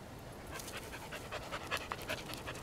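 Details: Dog panting on a walk in Larkspur: quick rhythmic breathy bursts, about three to four per second, soft and airy against a steady low outdoor rumble.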